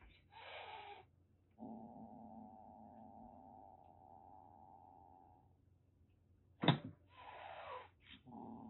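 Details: Aki, a rescued calico kitten about one and a half months old in Kagoshima, Japan, threatening indoors: a short breathy hiss, then a long low rumbling growl of about four seconds, a sharp knock, another hiss and a renewed growl.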